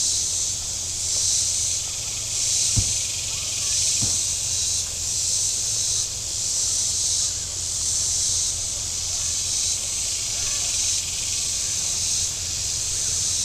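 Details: Shoreline cicadas at Table Rock Lake, southern Missouri, on a hot Saturday with boats out: a steady sizzling buzz pulsing in waves about every second and a quarter, a couple of sharp knocks, and a faint low rumble of motors.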